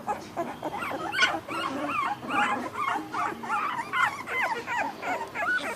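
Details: American Bully puppies, a litter from ABKC champion bloodlines, being checked one by one for sex; overlapping high whimpers and squeaks from several pups, with rising and falling whines against a soft background.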